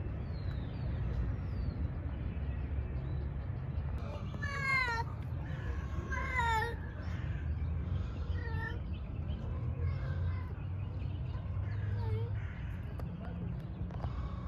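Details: Male cat calling females for mating: several drawn-out, wavering meows with rich harmonics around 4.5 to 7 seconds, then fainter repeated meows, over a steady low rumble of traffic or engine noise.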